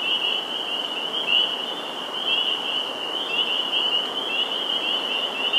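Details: Spring peepers calling en masse at a Sudbury, Massachusetts vernal pool on April 11, 2019; overlapping piercing peeps blend into a continuous, shimmering high-pitched drone throughout.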